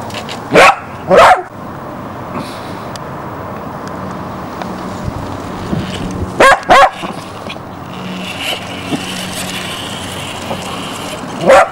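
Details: Border Collie puppy named Jessy, Barsbüttel, Hamburg, January 1994: two sharp barks close together, a long pause with a low steady hum and faint traffic, then another quick pair and a final bark at the end.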